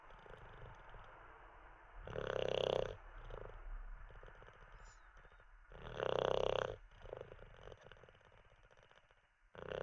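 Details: Teddy the Olde English Bulldogge asleep, snoring in a steady rhythm: two strong raspy snores about four seconds apart, with faint throaty purring breaths in between.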